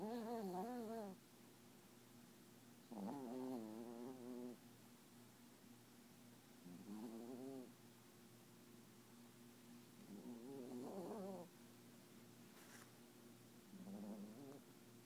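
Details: Sleeping Papillon dreaming with tongue out and eyes open: five bursts of quavering, whiny nasal snores, each one or two seconds long, rising and falling in pitch, over a constant low hum.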